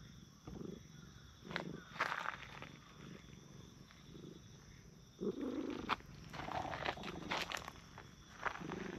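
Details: Brown tabby and tortoiseshell stray cats on a park bench, stroked one after the other, give brief low throaty bursts spaced a few seconds apart, with scuffing and rustling from petting between them.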